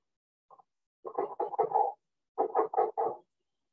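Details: A leopard frog, heard but not seen at the end of the evening at Stratford, gives a rough, chuckling series of low pulsed croaks in quick clusters, with spring peepers calling in the background.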